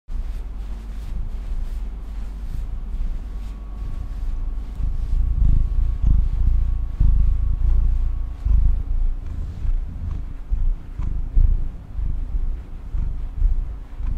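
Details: Female pet cat purring: a deep, continuous rumble that swells and fades at about one pulse per second, with a faint steady hum underneath.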